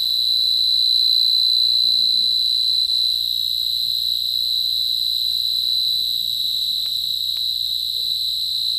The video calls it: cricket sound ,ঝিঝি পোকাৰ গলা